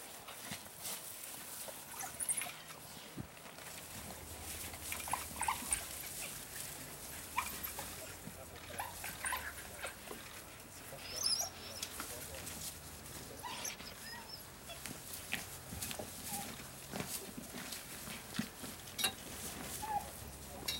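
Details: African wild dogs with full bellies give high, bird-like twitters and whimpers amid clicking, tearing noises as they feed at Vumbura, Okavango Delta, Botswana.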